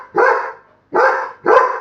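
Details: Buddy, a pet Labrador Retriever, gives three loud, gruff barks in quick succession while urged to go wake someone up; a long pause follows the first bark, then two barks close together.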